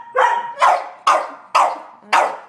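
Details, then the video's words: A Sheltie, a Collie and a French Bulldog barking at a squirrel on a rainy day in March: five loud, harsh barks spaced about half a second apart, each with a brief tonal onset. "Sheltie, Collie and a Frenchie barking"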